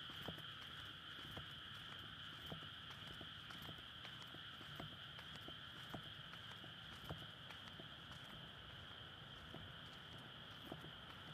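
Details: Night frog chorus in a water-filled May rice paddy amid a residential area near a road, courtship before egg-laying, Sony PCM-D100 recording; unbroken high trilling drone with irregular knocks and taps underneath.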